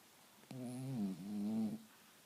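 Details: Cavalier King Charles Spaniel snoring indoors: one drawn-out, tonal, buzzy snore with a slight dip midway, then a second rising breath, lasting about 1.2 seconds in total in a quiet room.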